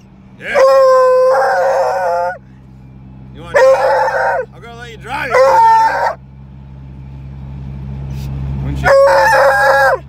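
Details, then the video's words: Treeing Walker Coonhound, a loud male, yowling during a trip to the vet: drawn-out steady howls sliding into warbling, choked yodels in bursts of one to two seconds, separated by quieter gaps filled with engine rumble. "Treeing walker coonhound going to the vet."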